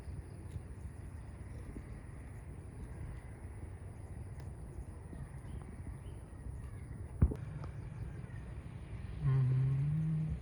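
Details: In a herd of village cows grazing in a green meadow in sunshine, one cow's deep, droning moo starts near the end over a steady low outdoor rumble.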